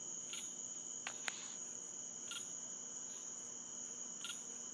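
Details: Nightly chirping/clicking from an unknown creature in central Florida woods, heard from different places: brief high chirps about once a second, a few sharp clicks near the start, all over a constant high-pitched buzzing background.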